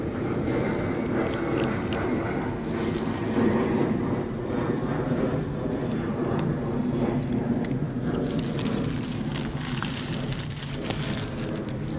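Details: Broadband patter like rain on a surface with low rumbling and scattered clicks throughout, no animal voice audible.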